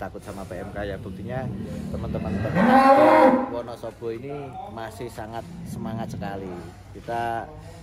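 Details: Giant cattle in a barn in Wonosobo, Indonesia, some weighing up to 1.3 tonnes; one long, deep moo swells upward then sags, with men talking before and after.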